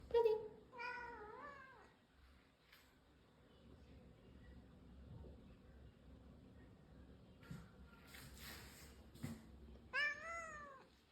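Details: Brown tabby house cat meowing indoors: two drawn-out, rising-then-falling meows at the start, a quiet stretch with faint rustling and a few soft bumps, then one more arching meow near the end.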